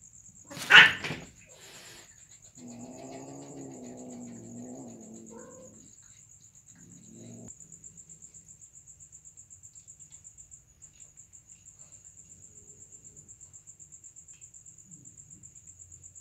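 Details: Cats during mating: a sharp knock first, then a drawn-out, low, wavering moan lasting about three seconds, followed by a brief short cry. After that only a faint rhythmic insect trill continues.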